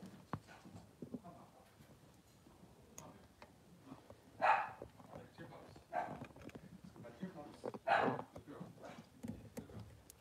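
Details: Three-day-old Blenheim Cavalier King Charles Spaniel puppies, two newborn boys in an indoor pen with their mother Pom-Pom. Short whining, yelping bursts rise at roughly four, six and eight seconds over soft rustling, with human speech mixed in.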